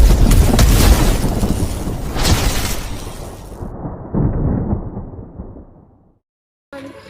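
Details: Loud booming bursts and crackling noise fade out, followed by a short silence and a brief return of sound; no animal sound is heard.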